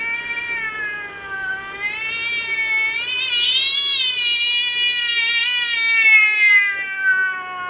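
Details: Furious house cat in its garden, its space intruded on by a magpie and another cat, holding one loud continuous wavering yowl that swells and rises in the middle before sagging lower.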